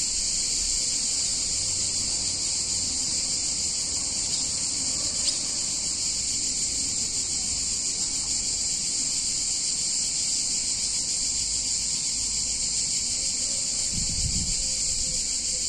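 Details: Cicadas sing on a hot summer day in a picturesque Italian town: one steady, dense, high-pitched buzzing drone that never breaks, with faint low rumbles beneath and a brief dull thump near the end.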